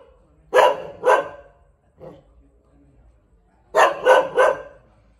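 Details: Thai Bangkaew dog producing a pair of sharp barks, a brief quieter sound, then a rapid run of three barks after a pause.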